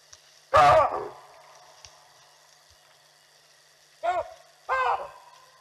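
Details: Baboons alarming at a leopard walking through while watching elephants, Olifants River live stream, 18 June 2020: one loud harsh two-part bark, then after a pause two more barks close together, over a faint steady hiss.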